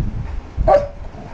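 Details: Labrador dog at bedtime giving a single short, tonal bark or yelp lasting under half a second, sliding slightly downward, over a low rumbling background.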